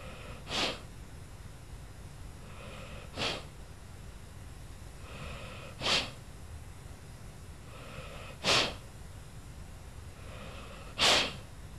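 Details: Lula, an old pet dog, snoozing in her bed at Christmas, snores in steady breathy bursts, five rough exhalations spaced about two and a half seconds apart over a quiet indoor background.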